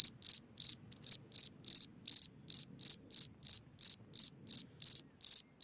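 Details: Cricket singing from its hole in the ground at night, giving crisp, high-pitched chirps, each a quick burst of a few pulses, repeated regularly almost three times a second against an otherwise quiet night.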